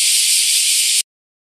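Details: Bear cicadas chorusing in summer 2019 at Daitokuji Park, Nagasaki, Japan: a full, steady buzzing hiss lasting about one second before the sound cuts off abruptly into silence.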